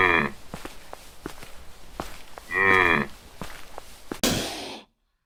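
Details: Cow giving two short, deep, harmonic moos, one at the start and a louder half-second one midway, between scattered sharp clicks and knocks, ending in a burst of broadband noise.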